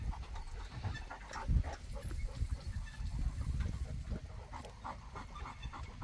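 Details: Boerboel (African Mastiff) kept in Egypt panting: quick, breathy low-pitched puffs repeated steadily, with one louder huff near the start and a dull background hum.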